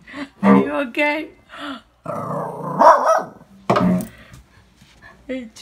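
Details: A Shih Tzu puppy barks at cello practice with short, high-pitched yappy barks and a rougher growling stretch in the middle.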